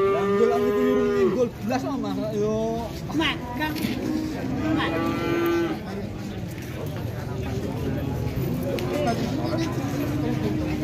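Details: Large cattle at an Indonesian sale, where a rare jumbo animal arrives late and buyers compete to put down a deposit, low loudly: long rich moos that bend downward at their ends, repeated in quick succession, with murmuring people behind.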